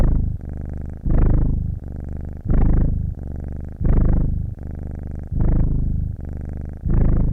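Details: Domestic cat purring steadily: a deep, rumbling low purr that swells loudly on each breath and softens between, the breathing cycle repeating about every one and a half seconds.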